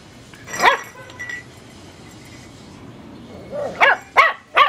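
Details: A teacup Chihuahua puppy barks at a light bulb, giving high, thin yappy barks, one early and then three quick ones.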